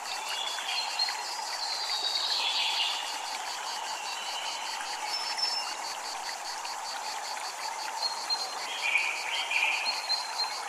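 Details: Cicadas at a Japanese temple: a thin, rapidly pulsing buzz held steadily throughout, over a constant wash of flowing water, with a few brief whistled sweeps near the start and end.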